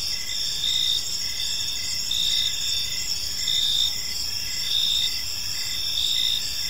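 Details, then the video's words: Evening park ambience of crickets: layered shrill chirps and continuous high buzzing trills, with louder pulses recurring about once a second above faint low rumble. "Park Serenade: Cricket Sounds in a Peaceful Park | Evening Ambience"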